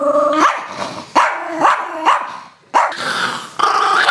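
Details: Protesting a shower, the Chihuahua Rosco gives a rapid series of short growling barks, each starting low and snapping upward in pitch, about six outbursts in four seconds.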